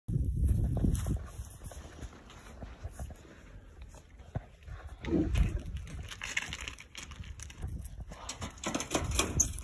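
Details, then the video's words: Angry pigs chasing a person for oranges, trying to get at the hand holding them; low, rough grunts come in bursts at the start and again near the middle, over rustling and handling noise outdoors. "Angry pigs chase me for oranges"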